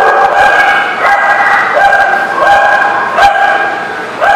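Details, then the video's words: Barking dog on 19 November 2018, giving high, ringing yelp-like barks roughly every half to three-quarters of a second, each one clipped and rising at the start, over a steady background hum. "The Barking Lot"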